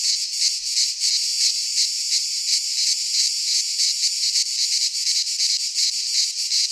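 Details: Midsummer chorus of cicadas in a pine forest in Greece, an unbroken high rasping drone that pulses quickly and steadily, with nothing else audible.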